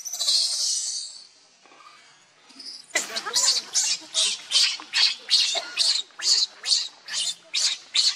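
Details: Baby monkey Leo, hungry and begging its mother for milk, lets out one long shrill scream, then a fast run of short sharp cries, more than two per second, steady and insistent.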